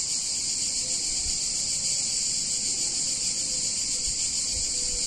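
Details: In a picturesque Italian town on a hot summer day, cicadas produce an even, high-pitched electric buzz without pauses. A few faint low taps and brief tonal notes sit beneath it.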